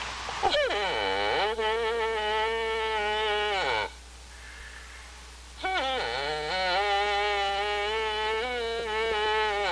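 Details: Antelope giving long, drawn-out bleating calls, each starting with a sharp downward swoop and then holding a steady, harmonically rich tone for about three seconds, two calls separated by a short quiet gap.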